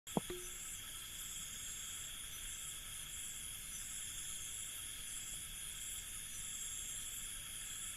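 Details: Crickets at night in an Indian village, a steady continuous high trilling chorus in several pitch bands throughout, with one brief click near the start.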